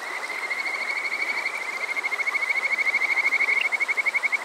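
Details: Kajika frog calling on a summer night at Water Park Shirayama in Yokoze, Chichibu, Saitama, Japan, recorded with a TASCAM DR-05X; rapid, even series of short, high chirping notes that grows louder into a steady pulsing trill over a constant watery hiss.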